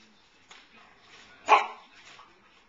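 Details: Pearl, a 9-month-old Samoyed, stands with her feet on the counter watching a moth indoors. She gives one short, sharp bark midway, with a few faint softer sounds before and after in an otherwise quiet room.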